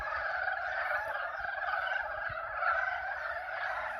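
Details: Frog mating calls at the Yulgok Arboretum pond in spring: a short stretch of thick, steady chorus, with countless croaks blending into a buzzing wall of sound, and slight low rumble beneath.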